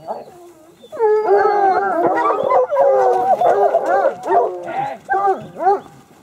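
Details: Sparks hounds in full chorus, several voices overlapping in loud wavering howls that rise and fall, broken into bursts with short dips, the last few howls sharply bent and fading near the end.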